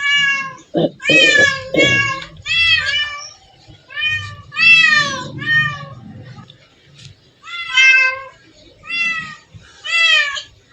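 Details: Many cats gathered together in one place, meowing in a steady stream of loud, wavering, rising-and-falling cries that overlap one after another, with a brief low voice-like murmur near the start.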